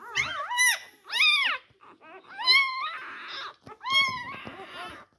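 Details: Four-day-old Labrador Retriever puppies competing at the teats, with repeated loud rising-then-falling whining cries separated by short pauses and faint squeaks.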